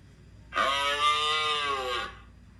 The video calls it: Moose sound